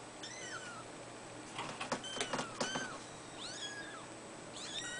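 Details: Fawn Abyssinian sisters, three weeks old, mewing in a cattery: bright, high, down-curving squeaks, first singly, then a quick cluster of overlapping cries, then two more rising-falling mews near the end.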